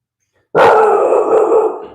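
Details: Bulldog puppy indoors reacting to a dog heard outside that he did not like; one sudden loud bark drawn out into a held, howling tone for over a second before fading.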